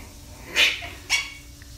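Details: A 45-day-old female Shih Tzu puppy, in her first days in a new home and playing with a ball, gives two sharp, high-pitched barks about half a second apart.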